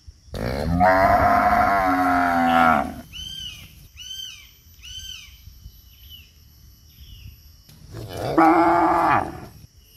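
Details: A cow that chases people when they bow down at its feet gives two long, deep moos with rich harmonics, with faint high chirps between them.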